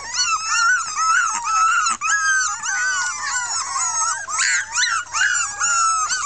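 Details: Six red female Miniature Pinscher puppies from a 2013 litter voicing discontent after tasting freedom; several high, wavering whines and yelps overlap continuously, rising and falling in pitch, with barely a pause throughout.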